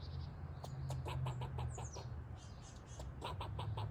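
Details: Squirrel; bark; barking at the household cats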